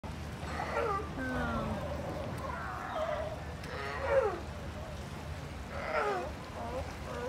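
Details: California sea lions at La Jolla, San Diego, California, give harsh, throaty growls in short, wavering bursts over a low rumble of surf.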